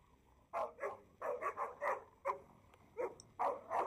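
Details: American Staffordshire Terrier named Django, a male showing strong aggression at the sight of another male dog during a dog-trainer session, gives a rapid series of harsh, mid-pitched barks in bursts, about eight barks over three seconds.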